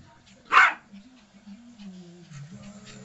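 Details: Yorkie pup at play with a toy guinea pig lets out one short, loud bark early on, then television chatter continues underneath.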